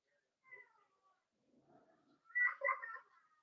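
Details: Four-week-old Cavalier King Charles Spaniel puppies in an indoor puppy pen at Red Barn Cavaliers give faint, wavering whimpers, followed by a louder burst of overlapping high, whiny cries near the end.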